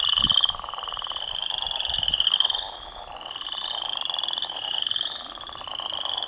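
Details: Pond chorus of northern leopard frogs contesting territory: coarse, rattling snore-like calls in pulsed trains, several animals overlapping, loudness dipping and returning every second or two, a few low splashes at the start.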